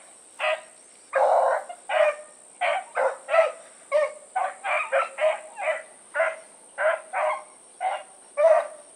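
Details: Dogs of the Blackreek pack, Choco, Dino, Johnny Ringo and Mingo, running one evening on 16 August 2014; sharp barks repeat roughly twice a second in a steady chorus, a thin high tone running behind them.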